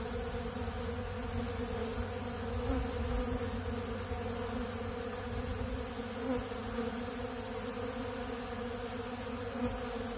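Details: A crowd of honey bees feeding on ultra bee pollen at a blue feeder, giving an unbroken, even drone of overlapping buzzing tones from start to finish.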